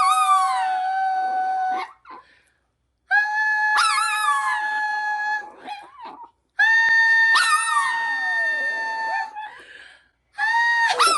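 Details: A long-haired Chihuahua howls along to a song being sung, in three drawn-out, high, wavering bouts.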